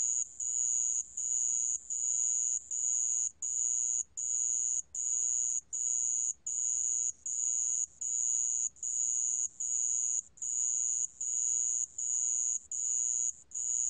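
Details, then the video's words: A sand cricket's piercing, even trill, recorded in 2020 by the National Institute of Biological Resources, delivered as steady repeated bursts separated by brief breaks, around 77 per minute, against near silence. "모래방울벌레, 여러번 듣기, 곤충소리"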